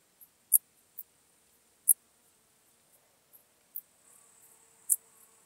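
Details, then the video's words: Common dark bush-cricket from Tuttlingen, Germany, recorded 8 October 2022. A few brief, high, dry chirps at irregular intervals, with a faint hiss appearing in the second half. "Pholidoptera griseoaptera -- Gewöhnliche Strauschrecke -- Common Dark Bush-cricket"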